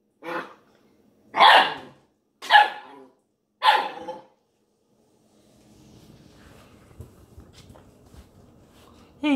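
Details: Playful eight-week-old Ibizan Hound puppy with a milk jug; four loud, clipped barks roughly one per second, then soft rustling and tapping from play, ending with a sudden high yelp.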